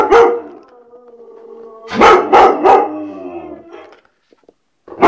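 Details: White Swiss Shepherd dog barking: a sharp bark, then a quick burst of three loud barks with a drawn-out, whining, tonal tail, and a final bark at the end.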